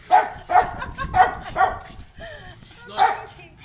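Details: A black pug gives a run of sharp, high, yappy barks, with a faint voice possibly murmuring between them, barking wildly and making strange noises after meeting an unfamiliar dog.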